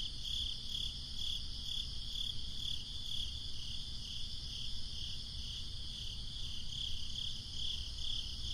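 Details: Crickets trill in high, regular pulsed bursts on a breezy summer night, with a gentle rumble of wind in the low range.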